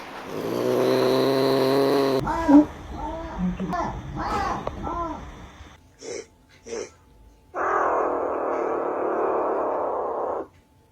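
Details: A Pallas's cat, filmed in the wild, growls low and then gives a quick run of short, rising-and-falling yelps.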